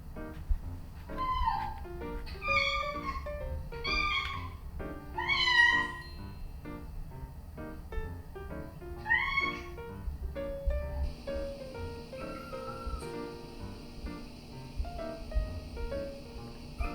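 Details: Domestic cats' own meows, played back to two female house cats, a Scottish Fold and a Munchkin, while they gather together: a series of rising and falling harmonic meows about every second, then a later one, over steady background music.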